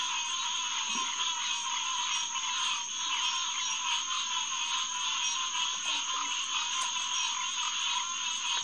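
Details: Hyla cinerea chorus on a June night, 9:10pm, 2021, at the Headquarters Pond in SMNWR: a thick, continuous mass of repeated nasal calls from numerous frogs, a soft low croak near one second.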